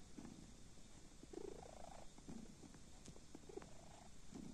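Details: Sleeping kitten purring softly, low rumbling pulses swelling and fading in breath-like cycles about once a second, with a steady faint hiss behind.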